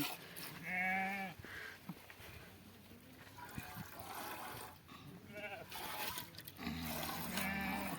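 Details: Sheep being milked, bleating in two wavering calls near the start and end, with people talking and handling noise between them.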